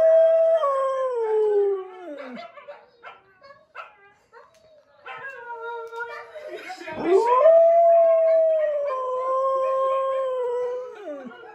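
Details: Pet Siberian Husky howls at talking dogs on screen: a drawn-out howl that sinks in pitch, a quieter stretch of yips and speech, then a sharp rising howl that holds steady and falls away at the end.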